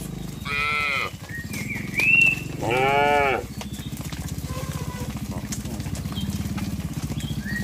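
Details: Cattle herded from a broad green field toward their pen: two clear, nasal, harmonic moos about two seconds apart, each lasting roughly half a second, followed by a steady low rumbling drone.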